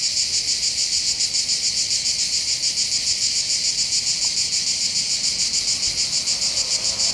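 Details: Cicadas sing from the hills above the port of Bandol in the Var, on the Côte d'Azur in southern France, by the Mediterranean: a dense, high, buzzy drone pulsing rapidly and evenly throughout.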